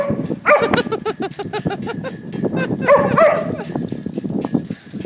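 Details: A dog chases shadows, letting out short rising and falling whimpering yelps around a busy patter of scuffles and taps, with a voice faintly in the background.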